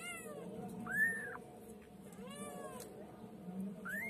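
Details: Pet white female kitten giving a few thin, high meows, each sweeping up then down. One clear mew comes near the start of a short stretch and another at the end, over a faint indoor hum.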